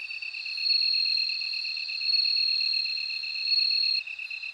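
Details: High, bell-like insect ringing from a bell cricket, held steady with three louder swells. The ringing cuts off near the end, while a lower, rapidly pulsed trill from another insect continues.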